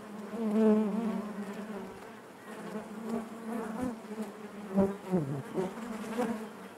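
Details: Steady droning of honey bees in the hive, loudest at the start with clear layered hum, then quieter before several brief swells and a few tapping sounds toward the end.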